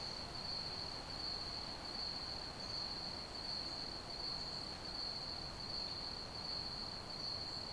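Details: Crickets in an ambient sleep recording give an unbroken, even, high-pitched pulsed trill, laid over a soft, steady wash of broadband noise.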